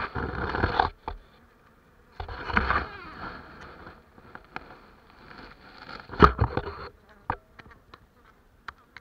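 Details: Honey bees at Turza beginning the day's work: bursts of dense buzzing hum come and go between quieter gaps, with sharp clicks and taps scattered through.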